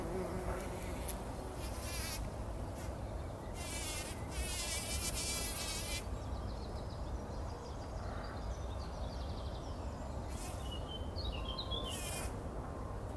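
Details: Bumblebees bathing in poppy pollen at dawn before sunrise, 2019: a continuous low hum runs under repeated bursts of lively, warbling birdsong, loudest in the first six seconds and again near the end.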